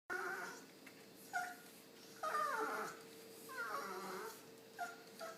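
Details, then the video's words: Pet dog, adult male kept over five years, wandering around indoors making odd pained-sounding noises while wagging his tail, as if trying to tell something; short wavering whines and moaning yelps in separate bursts, a steady electrical hum beneath. "Why Does My Dog Make Those Weird Noises?"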